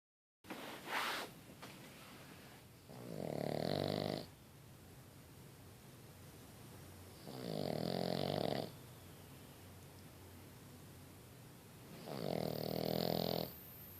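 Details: A Boston Terrier puppy snores while asleep, slow rasping breaths about every four seconds.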